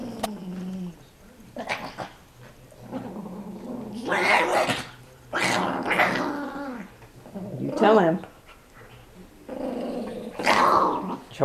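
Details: Small 5 lb Chihuahua play fighting indoors with a 25 lb Pitbull puppy: bursts of rough growling and snarls in short clusters, interleaved with a woman's encouraging speech.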